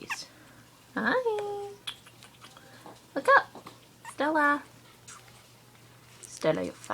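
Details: Three-week-old Australian Terrier puppies indoors give short, high, squeaky whimpers with bending pitch, four separate bursts spread over several seconds, while a person talks softly to them between the cries.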